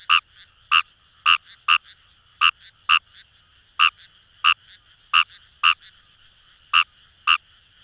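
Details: In paddy fields by the Kamo River in Itoshima, Fukuoka, wild Fejervarya kawamurai give brief grating croaks, some in quick pairs, about fourteen in eight seconds, backed by a humming chorus of other callers.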